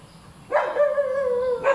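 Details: A single bark from a hyperactive dog runs into a drawn-out, steady tonal whine lasting over a second, ending with another short bark.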